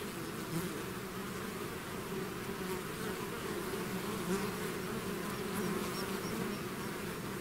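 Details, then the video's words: Swarm of bees emerging from the hive, a full unbroken buzz of countless wings with faint higher whines of single bees passing close. "bees therapy swarm natural buzzing sound"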